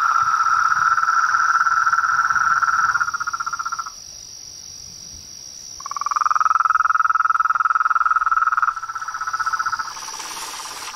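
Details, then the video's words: Toads, frogs and tree frogs in nature: a loud rapid buzzing trill runs for about four seconds, pauses amid a soft high hum, then resumes for another four seconds before fading. "Os sons dos sapos , rãs e perereca na Natureza"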